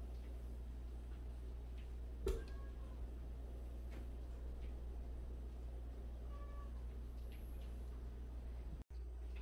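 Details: One of 76 rescued stray cats gives a few faint, brief meows, one near two seconds and another around six seconds. A sharp knock comes first, over a steady low hum.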